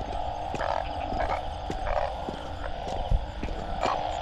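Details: Banded bullfrogs in Thailand, caught to be cooked, give a loud chorus of nasal, droning croaks pulsing in overlapping waves about every half second, with a few sharp knocks in the background.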